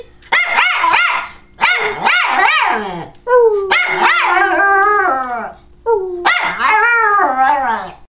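A Schipperke gives long, wavering moans that rise and fall, in four drawn-out bouts.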